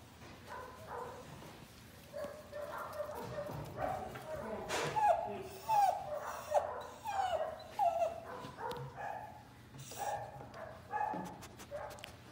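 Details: Airedale Terrier puppy that wants to play with his buddies, whining and yipping in short, high, rising whimpers repeated irregularly over several seconds. Soft background voices and rustling are also heard.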